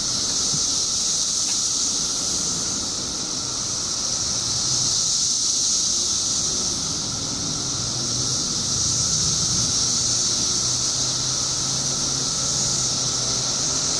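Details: Illinois emergence of periodical cicadas, billions surfacing after 17 years below ground, producing a relentless high buzzing hiss and a level whining tone, with faint low rumbling sounds in the background.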